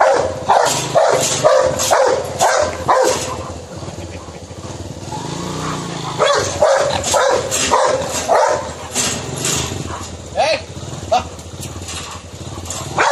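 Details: A Rottweiler attacking a man in India barks in rough, rapid bursts over traffic noise and human voices.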